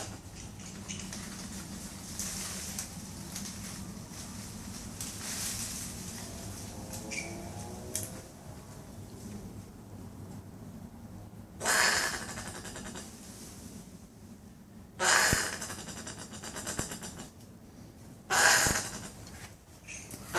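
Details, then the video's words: A couple of brushtail possums in a tree outside a Brisbane unit's front patio give short, harsh, hoarse rasping bursts, three strong ones near the end spaced about three seconds apart, over low background hum and faint scuffling. "Weird noises of Brushtail Possum in Brisbane"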